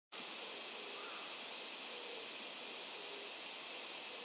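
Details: Insects on Miyako Island, Japan: a dense, steady, high-pitched shrilling chorus that starts abruptly and holds unbroken, with a faint pulsing texture in the upper layers throughout.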